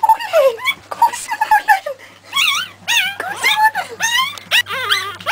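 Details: Pekingese litter at three weeks old, several puppies crying in overlapping, wavy, high-pitched whines and yelps, some rising and falling quickly, with a soft voice murmuring and a steady low hum behind.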